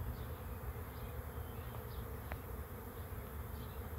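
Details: A swarm of bees settling on a swarm trap hums in a thick, steady drone; a few soft, distant bird chirps and one short click cut through.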